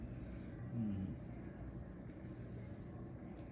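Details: Steady low rumble of passing vehicles in an outdoor setting, with no animal sound.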